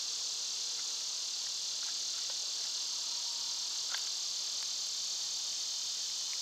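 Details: Loud summer cicadas: a dense, bright, shimmering buzz filling the upper range without pause, with a few faint clicks and taps scattered over it.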